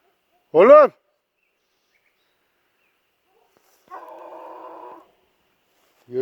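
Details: At night, Kangal shepherd dogs rush off after something the owner suspects is a wild boar. One Kangal gives a single deep, booming bark, then a rougher drawn-out sound a few seconds later before another bark begins.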